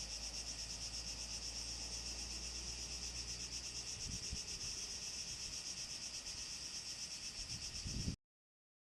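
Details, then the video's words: Cicadas in southern Greece during summer 2014, a typical summer scene: a steady, dense, high-pitched buzzing drone with a fast, even pulse runs without a break, and faint rustling and low wind noise sit beneath it. "Greece 2014, cicadas"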